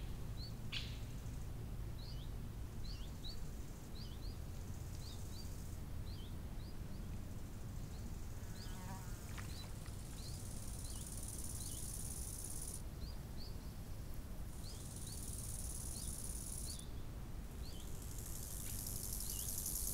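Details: High, thin cricket trilling at a summer lakeside comes and goes in long stretches, strongest in the second half, under frequent short bird chirps and a constant low rush of wind.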